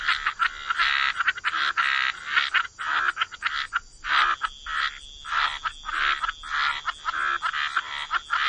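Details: Frogs croaking together by the waterside in wetlands, a dense chorus of raspy, pulsed croaks overlapping in quick bursts, with short gaps and a steady high thin tone running underneath.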